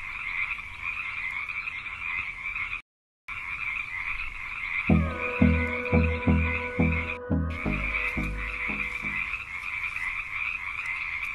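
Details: A cane toad, a hunting toad catching prey, gives a quick run of about eight low, harmonic, throaty croaks, about two per second, over a constant high buzz of insects.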